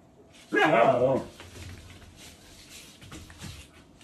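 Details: Asiri, a female Siberian husky living in Japan with a toy poodle and a shiba inu, talks in a single drawn-out, wavering yowl of about seven-tenths of a second, strongly harmonic, then quiet indoor rustling and faint knocks.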